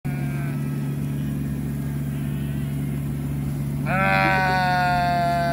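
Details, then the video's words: Sheep being rounded up with a tractor after getting out of their fence: a steady low engine drone, then a loud, long, harmonic bleat near the end, with a fainter bleat at the start. "Sheep Roundup"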